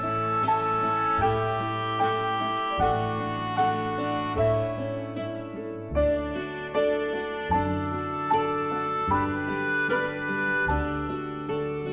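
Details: Gentle instrumental music plays throughout, with steady plucked chords and a reedy melody, and no animal sound is heard.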